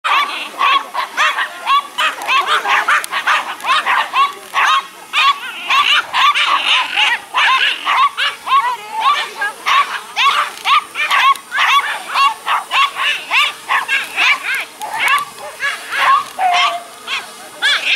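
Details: Norfolk Terrier outdoors at a dog meetup on a foggy morning, barking at a buzzing drone overhead: rapid, high, sharp yapping barks almost nonstop, about two per second, irregular and overlapping.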